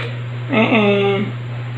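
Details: Two quick meows run together from a female white kitten with orange and grey markings, rescued and about four months old, filmed indoors in July 2022; a short rising note, then a longer level one, with steady background hum.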